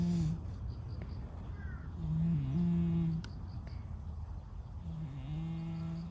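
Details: Sleeping stray cat, brown and white, snoring with low, slightly wavering drones of about a second, recurring every few seconds over faint background rumble and clicks.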